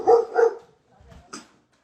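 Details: Pet dog indoors barking because a raccoon was on the porch: two quick, full-voiced barks in close succession, then near silence with a faint thump.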